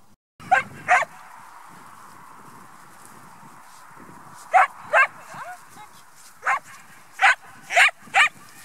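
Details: Serra de Aires dog herding a flock of sheep; sharp barks in pairs and short bursts, seven loud barks spread over about eight seconds with quiet gaps, over steady low background hiss.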